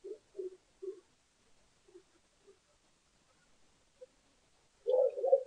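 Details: Lesser bush baby arriving for its yogurt dinner at the Allen Bird Cam in South Africa, 20 June 2015: three short low croaking notes in quick succession, a few fainter ones, then a louder burst at the end.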